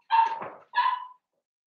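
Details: Cavalier King Charles Spaniel puppy, a seven-week-old blenheim from a litter born at New Year, indoors. Two close, high-pitched barks, the second slightly more drawn out, then silence.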